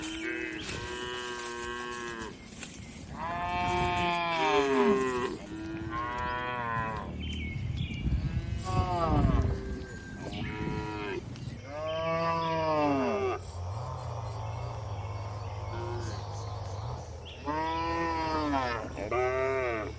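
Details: Dozens of tame cattle resting, eating and moving calmly inside a farm barn; several overlapping moos follow each other, some rising then falling, with a low steady machine hum and a buzzy background noise midway.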